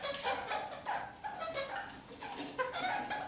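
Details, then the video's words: Kakariki, pet parakeets walking upside down on a ceiling, singing a lot: quick nasal chattering notes with bright harmonics, bursts repeated about every half second, indoors. "Kakariki - Spider Birds walk on ceiling"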